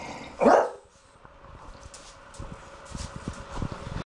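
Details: A French Bulldog in a bathroom gives one short, gruff bark before a bath, followed by quiet room noise.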